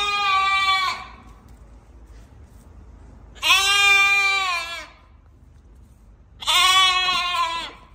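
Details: Lamb recently weaned and parted from its mother, calling: three strong, harmonic-rich bleats, each about one to one and a half seconds long, spaced roughly three seconds apart, quiet background between calls.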